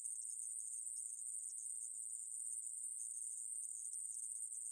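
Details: Conehead katydid (애매부리) in a 2020 reference recording, giving a sustained, sizzling high buzz that runs without a break at an even level, with no other animals, voices or noise audible.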